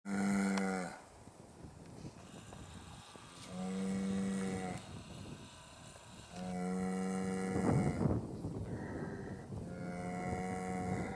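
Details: An Irish cow moos repeatedly, each call a deep, sustained tone rich in overtones and held for roughly a second, a few seconds apart, with low rumbling background noise between them.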